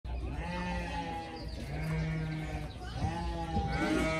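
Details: Group of playful pygmy goat kids romping and chasing each other; drawn-out, wavering bleats with rich harmonics, several overlapping calls spread across the few seconds, over a steady low hum.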